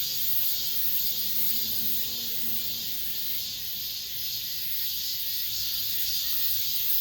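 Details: Last cicada song of the summer in an apartment complex, a loud high-pitched electric buzz holding steady, rhythmically throbbing, while a faint low hum passes briefly beneath it early on.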